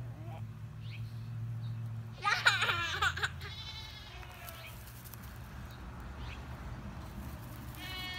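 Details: Baby LaMancha doe named Sis, from the Sweet Deseret herd of dairy goats in Willard, Utah, playing on hay bales with a boy; one loud wavering, quavering bleat around midway, then fainter high calls, with people talking and low background hum.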